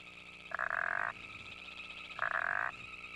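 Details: Tuneful frog calls, contrasted with the deep voice of a bullfrog: two short, loud, bleating croaks about one and a half seconds apart, with a steady high-pitched trilling chorus running underneath.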